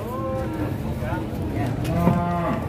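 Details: Cattle being loaded onto a truck at a market in Indonesia in 2022, one of the biggest cows: two long, low, harmonic moos, the first short and falling, the second drawn out and slightly wavering, over a steady noisy background.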